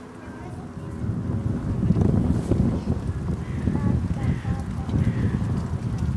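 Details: Captive lion parents at Dortmund Zoo, Germany, in autumn 2009, giving a short roaring concert while three young lions play; deep low rumbling roars swell over the first two seconds and stay loud, with faint visitor voices and hiss behind.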